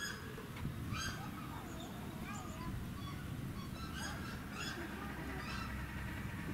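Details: Asian small-clawed otters (Aonyx cinerea) at Tama Zoological Park, Tokyo, in January give high, thin chirps in scattered bursts every second or so, over a steady low rumble and faint voices.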